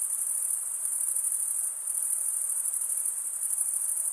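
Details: Continuous high-pitched shimmering trill from stridulating male crickets, wing scraped against serrated wing vein; a brief dip in loudness near the middle, otherwise unbroken, with light hiss below.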